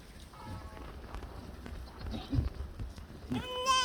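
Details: Korean black goat on a farm in Gimhae, South Korea; a quiet stretch of low background rumble and faint harmonic calling ends in one loud, wavering, harmonic-rich bleat.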